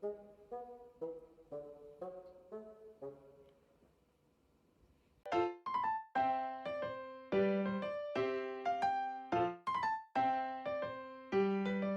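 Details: A quiet piano melody, then a pause, followed by louder staccato piano and brass chords, with no animal sounds heard.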